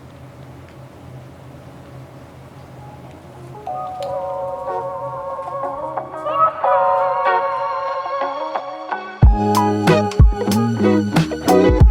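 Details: Organ-like music starts quietly, grows louder and ends in strong, punchy chords, with no animal voice standing out.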